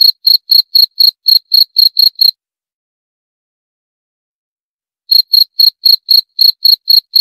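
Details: Cricket giving short, bright, high-pitched chirps about four per second for two seconds, then nearly three seconds of silence before the same steady chirping resumes; no other sounds.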